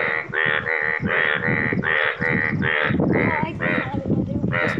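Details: Several yellow frogs calling in the wild in Nepal. Loud, harsh, harmonic croaks repeat roughly twice a second in a steady overlapping chorus, with a man's voice nearby.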